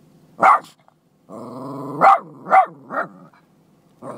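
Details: A Boston Terrier that hates goats barks at them: a short bark, then a steady throaty growl broken by three quick, raspy barks about half a second apart near the end.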